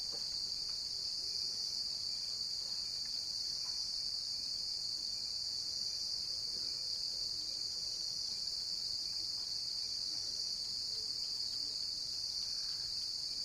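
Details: A cricket's continuous shrill trill runs without pause for the whole stretch, even and high-pitched, over a quiet, faintly hissing background.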